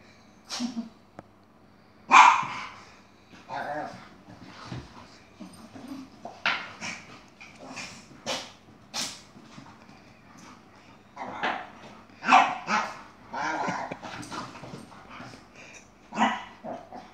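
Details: Yogi, a Chihuahua with attitude, fighting an Airedale: irregular bursts of sharp, harsh barks and snarls across the whole stretch, loudest near two and twelve seconds, in a quiet room.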